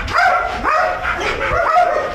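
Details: A Belgian Malinois guard dog at an industrial site in Nafplio, Greece, lets out three or four drawn, wavering whines that bend up then down in pitch, in a short, excited burst.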